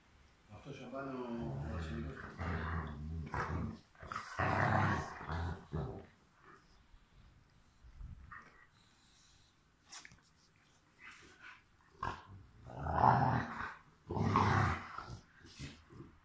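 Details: Two Rottweilers, Miley and Fiona, at play indoors, one giving low, rumbling growls in long harmonic bursts early on and again near the end, with human voices between the bursts.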